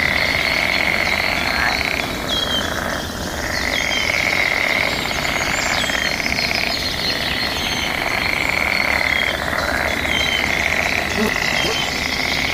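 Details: Mating-season frogs calling back and forth outdoors make a dense, buzzing trill that barely pauses, while thin whistled bird notes flicker above the steady chorus.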